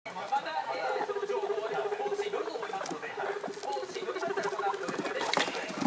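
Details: Three excited pet guinea pigs at home, the oldest about six weeks and two about one month: a steady low pulsing rumble runs through most of the stretch, with scattered squeaks and television sound in the background.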